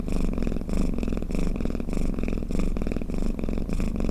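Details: Pet cat snoring-purr used to lull cats; close low rumbling purr swelling in soft rhythmic beats about every 0.6 seconds, alone in a quiet setting.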